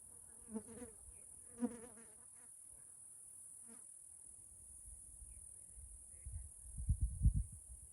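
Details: Cicadas in a forest in Washington State, Pacific Northwest: a steady, very high-pitched continuous drone runs unbroken throughout, with a few soft clicks early on and low rumbling thuds near the end.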